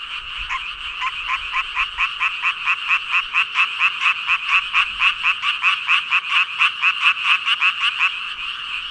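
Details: Frogs numbering in the thousands croak together: one nearby caller gives rapid, evenly spaced raspy pulses, roughly two per second, over a softer, continuous chorus of many more frogs behind it.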